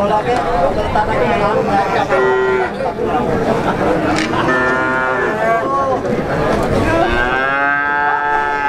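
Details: Pegon cattle calves, six months old, at the Plaosan cattle market in Magetan, Indonesia: several overlapping moos, stronger toward the end, under dense crowd chatter and market bustle.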